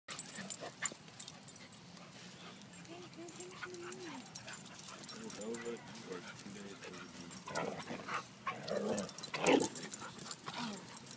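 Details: Siberian Husky puppy playing with another husky at a dog park; short wavering, moaning vocal tones rise and fall in bursts, mixed with people talking and scattered scuffling noises.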